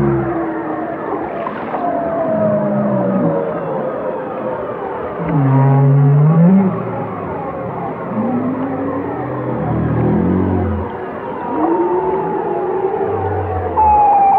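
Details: Whales singing in a long, busy passage of rising and falling moans, with low swooping groans, upward-curving mid tones and short high whistles, loudness swelling and dipping as calls overlap.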